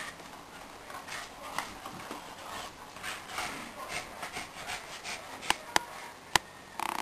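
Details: Shiba Inu dogs Spike, Kira and LuLu indoors at tug of war, giving rough, noisy growl bursts in uneven pulses, with rubbing and tugging sounds throughout and several sharp clicks near the end.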